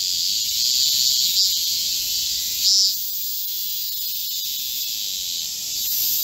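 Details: Korean cicadas in chorus in a green forest in midsummer heat, recorded on 25 July 2024 in Korea: a dense, steady high-pitched buzzing wall of sound that barely wavers, with a brief brighter swell near the middle.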